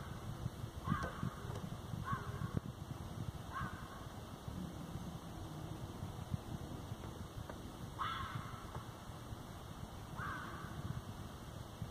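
A fox gives short, hoarse barks at irregular intervals over a steady low rumble.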